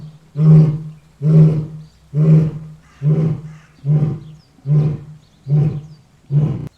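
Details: Lion grunting, the closing part of a roar: eight short, deep, chesty grunts delivered in a steady rhythm, a little under one per second, each equally strong.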